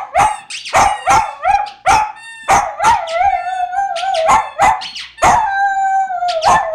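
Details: A male poodle howls like a wolf in long, wavering tones broken by sharp squeaks and short yelps, singing as he does every time he hears his toy dragon squeak.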